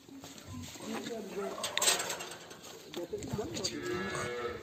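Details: Simmental cows on a Turkish farm, two animals in silent heat treated with a vaginal hormone device before insemination with imported breed semen; faint low mooing lows rise briefly through steady background noise, with a sharp clatter near the middle.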